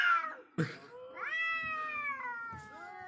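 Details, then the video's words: Wild cats in a tense face-off, one giving a sustained nasal wail that rises then holds level for nearly two seconds, preceded by a short falling cry and a brief scuffling noise. "When wild cats face each other"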